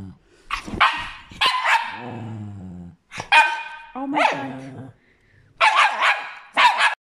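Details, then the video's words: Angry Chihuahua barking indoors: bursts of short, sharp yapping barks broken by a low, harmonic growl, with pauses of about a second between bursts; a woman's startled exclamations are heard nearby. "Angry chihuahua"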